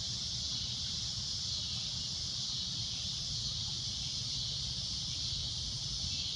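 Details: Loud shrill drone of a cicada at sunset, an unbroken high buzzing that barely wavers in strength, over a low background rumble.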